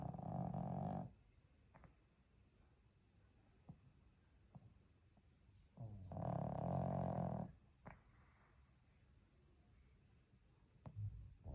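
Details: Sleeping Pekingese giving loud, harsh snores lasting one to one and a half seconds, one at the start and one around six seconds, with soft breathing in the gaps.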